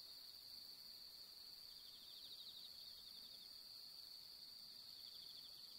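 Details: Autumn night chorus of bell crickets at the fifteenth-night moon, pampas grass setting: unbroken high-pitched ringing with bursts of fine pulsed chirping, no other clear sounds.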